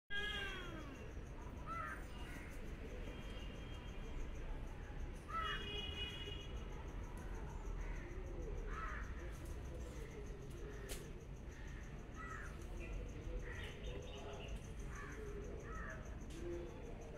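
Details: Domestic cat meowing repeatedly, short harmonic mewing calls recurring every few seconds over a steady low rumbling background noise.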